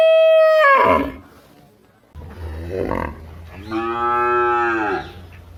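A cow opens with a strong, steady moo that drops in pitch and fades. After a short pause comes a rougher moo, then a long, rich, even bellow that tapers off at the end.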